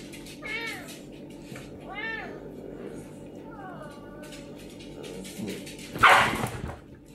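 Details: Serval confronting a pinscher, making three arched, wavering meow-like calls about one and a half seconds apart, followed by a loud rough burst and low scuffling noises.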